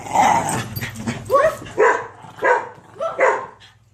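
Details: Within four seconds a dog lets out four loud, rough barks, each with a brief rising-then-falling tone, about two-thirds of a second apart.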